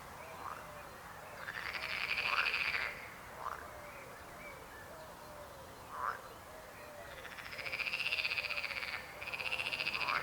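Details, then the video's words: Frogs croaking, long arched rattling croaks alternating with short rising chirps, quieter gaps between bursts, and a strong pulsed chorus returning near the end. "Rechot żab. Croaking frog sound."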